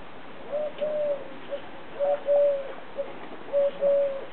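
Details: Laika, a young-in-training female Siberian Husky, talks on command: three paired, drawn-out, level 'aroo' moans, each pair about one and a half seconds apart, clear over light room noise.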